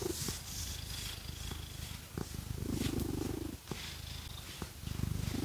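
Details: Phoenix, a pet cat, purrs steadily while being scratched with fake nails, a low continuous rumble pulsing quickly, with soft scratching ticks and a brief higher murmur in the middle.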